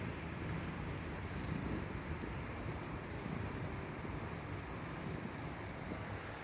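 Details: Sleeping Indonesian kitten snoring loudly: a steady low rumble runs throughout, with soft breathy hissing swells recurring roughly every two seconds and no other clear sounds.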